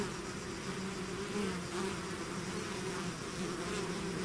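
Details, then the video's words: Bees swarming outside their hive make a dense, even hum, a low droning chorus that swells faintly around the middle and never breaks. "bees therapy swarm natural buzzing sound"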